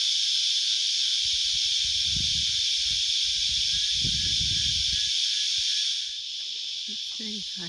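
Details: A dense, unbroken, high-pitched drone of cicadas in the hot Australian summer bush, with a man talking over it.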